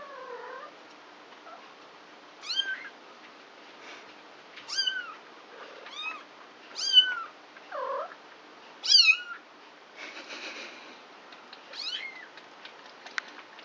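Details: Four three-week-old domestic kittens playing together indoors at night; high, harmonic-rich mews rising then falling, roughly every two seconds, mixed with lower, drooping mewling cries and a burst of scuffling noise.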